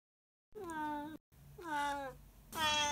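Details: A male Siamese cat, whose owner finds his meowing crazy, gives loud, drawn-out meows, each rising slightly then sliding down.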